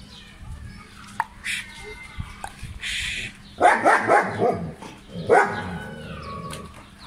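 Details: Playing German Shepherd in Pakistan, filmed in 2020, gives a run of rough, throaty barks in the second half, two bursts a second apart, after scattered clicks and faint chirps.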